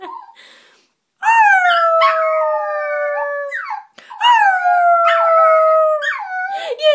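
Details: Extremely vocal puppy Brio lets out two long, level howls, each ending in a yip, inside a small room, with a person's voice faintly heard before and between them.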